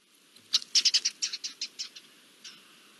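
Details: Garden dormice giving alarm calls as an Iberian lynx arrives, recorded 20 June 2024: a rapid series of about a dozen high, sharp chirps over roughly one and a half seconds, then a single later chirp, against a quiet background.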